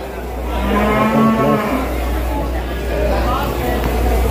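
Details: Limousin cattle at a market ahead of Eid al-Adha, a single long, low moo swelling and holding for about two seconds over constant background chatter and heavy low rumble.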